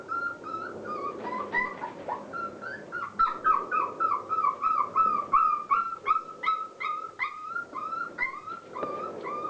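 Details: Border Collie puppies of Clair's litter, 36 days old, at play at Mafalda's kennel; a long run of high whining whimpers and short yips, pulsing about three times a second, over a low hum.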